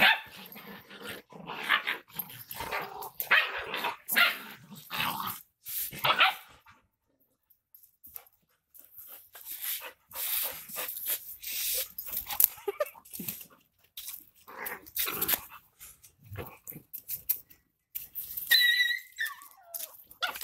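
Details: Rottweilers named Tiger and Shary fighting: bursts of harsh barking and rough growling come in clustered runs with short pauses, mixed with scuffling and a person's voice near the end.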